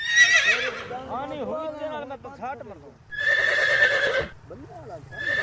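A horse whinnies twice in loud, shrill bursts that quaver and fall away.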